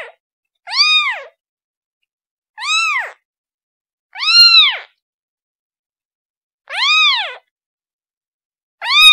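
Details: Young kitten crying for its mom, giving five short arched meows spaced about two seconds apart, high and tonal with rich overtones, in otherwise silent surroundings.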